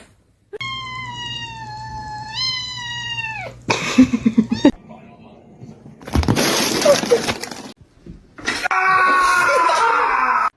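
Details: A cat lets out a long, drawn yowl lasting about three seconds, steady and then sliding downward at the end. Bursts of clattering and noisy rustling follow, with human voices nearby.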